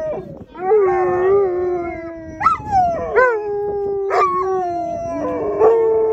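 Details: Two Alaskan Malamutes and a Labrador Retriever howl together in excitement while waiting their turn to run as a sled dog team at land training in Long Sault, Ontario. Long sliding tonal howls rise sharply, then fall and hold, with overlapping voices.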